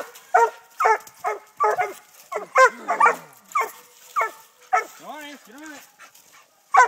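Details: Treeing Walker Coonhound puppies, six months old, barking at a live-trapped raccoon on a tree in Texas training; spaced single barks with a pause near the end filled by a person's voice.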